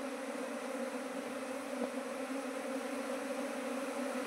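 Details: Asian honey bees in Nepal, the seventeenth swarm to arrive at a trap hive this season, give a steady low droning hum with two sustained tones that runs unbroken throughout, with one soft click near the middle.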